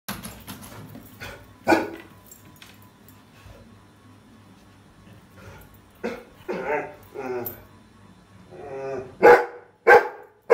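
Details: Rottweiler puppy barking at a trolley bag: a few loud, sharp barks, one early and two close together at the end, with voiced, speech-like sounds between them over a quiet indoor background.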